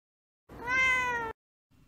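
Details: Female orange tabby cat basking in the sunshine gives a single clear meow, slightly falling in pitch and lasting under a second, otherwise quiet.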